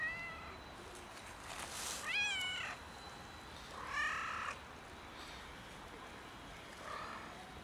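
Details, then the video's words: Cat outdoors in winter cold, needing warmth rather than food: a loud rising-falling meow near 2 seconds, then shorter, flatter meows near 4 and 7 seconds, with light rustling and steady background hiss. "Cat is freezing in the Winter cold and needs warmth - not food"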